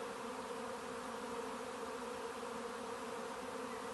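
Many bees buzz together in a steady, droning hum with no breaks.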